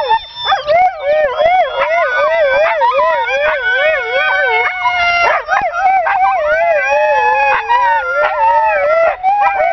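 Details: Pet Siberian Husky howling with a strong, rapid vibrato, the tone wavering up and down many times per second, then settling into smoother sustained notes with brief breaks.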